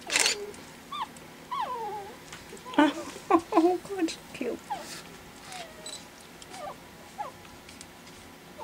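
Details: Indoors after dinner, four 4-week-old Pekingese puppies at play for the first time give wavering high whines and short squealing yelps, some bending up and down in pitch, mixed with a woman's voice and laughter.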